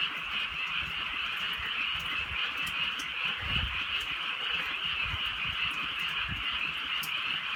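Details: A massed frog chorus fills a drizzly countryside night, high pulsing croaks blending into one steady drone, with rain patter and occasional muffled thuds below.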